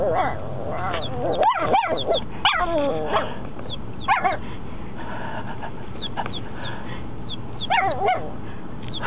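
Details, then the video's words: Four-month-old puppy Mocha barking for the first time: a few sharp, short yelping barks close together, then rising and falling whiny yips, with a faint, steady string of high chirps in the background. "Mocha first time barking"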